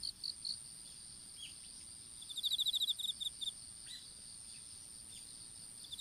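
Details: In an open-field strawberry patch in Japan, recorded on a dropped smartphone while seedlings were planted: insect chirps come in a quick pulsed run after two seconds over an unbroken high whine, plus a few soft downward bird notes.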